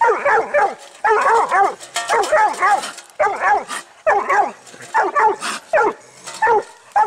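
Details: A six-month-old pup gives rapid runs of loud, ringing barks, two to four barks per burst, bursts separated by brief pauses; the tone is clear and slightly bawled throughout.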